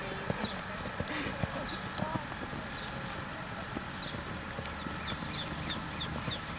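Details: Quarter Horse mare working through a training session, her hooves striking in short uneven clip-clops while people talk in Hebrew and small birds chirp nearby.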